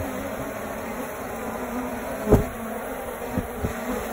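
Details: Honey bees clustered in a tree in a suburban area, found where a wasp nest was expected, filmed on a phone: a steady, low droning hum with layered overtones, broken by a brief thump near the middle and a few soft knocks later.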